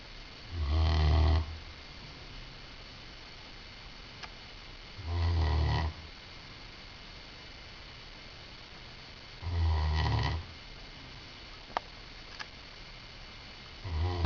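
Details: Great Dane asleep during a nap, snoring steadily: four deep, rumbling snores about every four seconds, each under a second long, with a few faint clicks in the quiet between.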